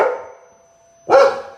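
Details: Adopted dog indoors barking at a vacuum cleaner, a fading bark tail followed after a pause by a single loud, sharp bark over a constant electrical hum.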